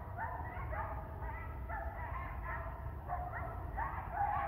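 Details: Coyote pack at Ash Brook Reservation, 7:30 AM on December 7, 2019, calling in response to a member left separated from the group: overlapping quavering yips and short wavering howls, several voices at once, over a steady low rumble.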